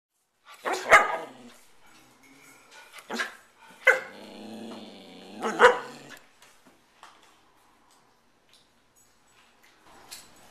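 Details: Dogs Beauty and Rosie at home on a typical night. Loud sharp barks in short bursts, about four spaced over six seconds, with a low growl-like sound between them, then near quiet.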